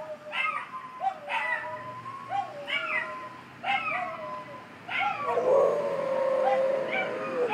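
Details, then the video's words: Staffordshire Bull Terrier singing along as an ambulance passes, giving a series of short rising-falling wails about once a second, blending into a long steady siren tone near the end. "staffy sings along with ambulance"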